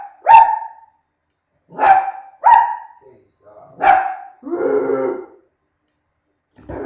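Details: Dog barking during a barking contest: four crisp barks, then a longer rough, lower-pitched growly bark, then a brief faint sound at the end.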